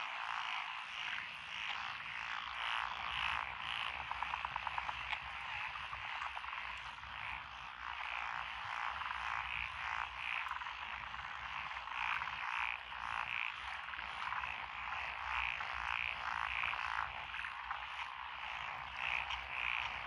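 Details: Countless frogs call together in lotus paddy fields in Echizen, Fukui Prefecture, Japan, 12 June 2021. Rapid, overlapping croaking pulses repeat almost twice a second, with a brief rattling burst early on and a constant churring background.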